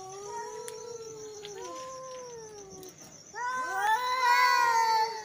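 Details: Angry male cats yowling: long drawn-out wavering howls with rich harmonics, sliding slowly up and down, then a louder rising, strained wail near the end; a steady high electronic whine runs underneath.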